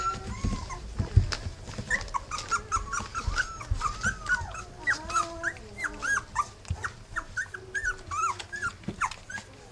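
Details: Three-week-old Rough Collie puppies, litter of the dog Wallis, whimpering together: a dense stream of overlapping high, arched squeals and whines, each rising then falling, almost continuous across the clip, with soft low thumps and shuffling underneath.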